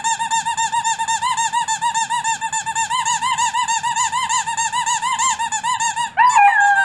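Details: Covington, a three-month-old wolfdog pup, holds a high, rapidly wavering howl for about six seconds, pulsing several times a second, before it breaks into a brief sliding note at the end.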